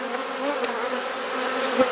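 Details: Garden hive in Perth, Australia, opened for inspection and frame swapping: honey bees give a continuous, even drone, low and constant throughout, with one short tap or knock just before the end.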